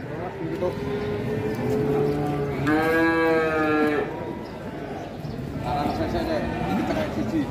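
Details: Agitated calf on the rampage in Indonesia lets out a low moo, then a louder rising bellow of about a second, and a fainter call afterwards, amid people talking and music.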